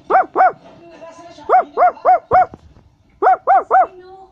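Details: Short ringing barks from a Basset Hound come in groups of two, then three, then three, spaced about a quarter second apart.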